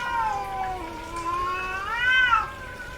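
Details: A female house cat in heat lets out one long drawn yowl, starting level, then climbing to a louder peak near the end before falling away.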